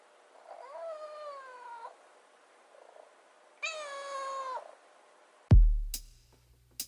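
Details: A rescued kitten on day 96 of care, refusing to leave the fridge until wet food appears, utters two drawn-out meows, the second louder and rising then falling, followed by a loud thump.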